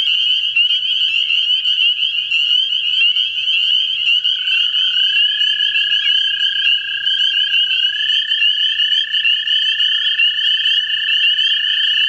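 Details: Several American toads in a central Ohio vernal pool calling for mates. Sustained buzzy trills blend into a dense chorus, and one trill swoops and wavers in pitch partway through.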